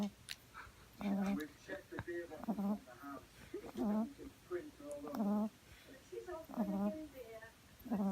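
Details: French Bulldog puppy on her second day home, asleep on her back, snoring in steady rhythmic snorts about once a second, each with a nasal, buzzy rattle, indoors and quiet.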